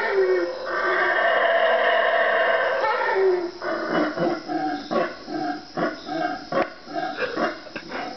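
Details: At 3am in the Guatemalan jungle, four wild howler monkeys roar in a sustained, hoarse drone for about three seconds, then break into a run of shorter, choppy grunting bursts roughly once a second.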